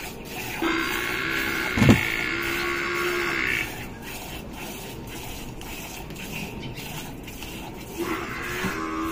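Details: Gir cow being milked in Rajasthan, India, gives one steady moo of about three seconds after a sharp knock, followed by quieter background hum and the start of another low call near the end.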